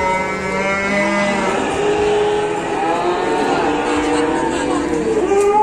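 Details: A long-horned banteng bull, about two meters long, just unloaded from a truck at Pasar Pon Ambarawa market in Indonesia while buyers bargain: a steady low moo, then wavering rising and falling lowing, amid market bustle.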